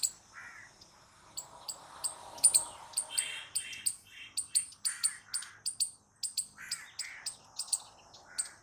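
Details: Squirrel uttering rapid high-pitched chirps in a regular series, often doubled, with lower rounded notes scattered between them and a faint background murmur.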